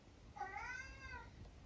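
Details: Eric, a vocal 12-year-old tabby cat from the UK, gives a drawn-out complaining meow lasting nearly a second, its harmonics bending slightly, against a quiet indoor hum.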